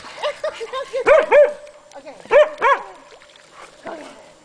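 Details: Hungarian Vizslas Sophie and Sara at play beside the Delaware River, Pocono Mountains, Pennsylvania, April 2008: a burst of short rising-falling yelping barks in pairs, then softer whimpers fading out, a voice faint beneath.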